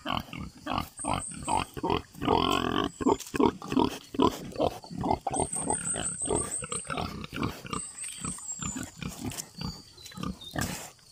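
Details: Loud, rapid oinking from domestic pigs on a free-range farm, grunts tumbling almost three per second with a louder squealing burst, and high bird trills and chirps in the background.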